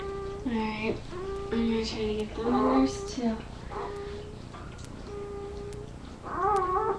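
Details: Labrador retriever puppies on a live puppy cam, giving drawn-out tonal whines and whimpers that rise at the start, then hold steady, several overlapping, with short pauses between bursts.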